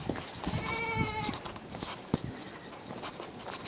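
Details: Miniature goat kid, small at birth and adopted by its mother only after several days, bleating while following its keeper to go suckle. A single clear, steady, tonal bleat of under a second, then quiet room noise with a few soft knocks.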